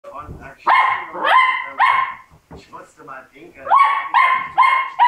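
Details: Labrador Retriever puppies parting from their siblings: clear, high, tonal yelps that each swoop upward, three in quick succession, a brief lull, then four more, with soft low rustling and murmurs between.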